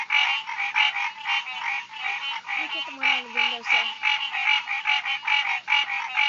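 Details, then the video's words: Tree frogs calling loudly in summer, a dense chorus of harsh, rapid pulsed croaks repeated several times a second, rich and raspy, with a faint low tonal sound briefly underneath midway. "Tree Frogs this summer... loud little effers!"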